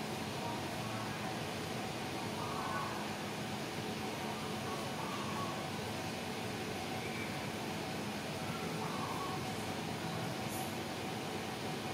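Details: A steady broadband rumble like a passing vehicle or engine fills the whole span, with faint murmured voices and no animal calls.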